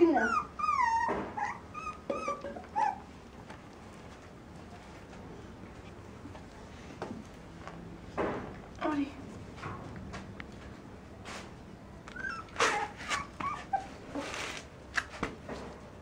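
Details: Dog whining in high, wavering, sliding tones through the first three seconds, then scattered short yelps and bursts of noise, with a person talking nearby.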